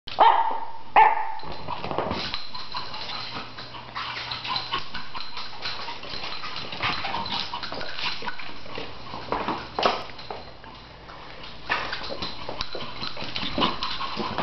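Short, sharp barks from a Shih Tzu come in uneven bursts, sometimes closely spaced, sometimes with pauses. A steady low hum runs underneath throughout.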